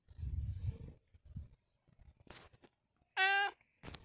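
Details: Long John Whiskers, a domestic cat, lets out a short, clear meow, bright and harmonic and steady in pitch. Low rumbling sounds and a few clicks and rustles come before it indoors.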